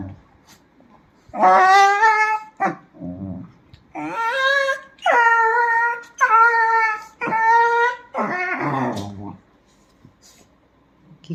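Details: Dachshund whimpering and yipping indoors, a run of high, strained whining notes in bursts about a second long, several in a row, separated by short pauses in a quiet small room.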